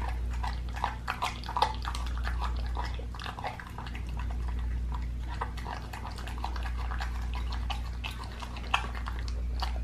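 A pit bull chews noisily, with wet crunching and sharp clicking bites over a low steady hum.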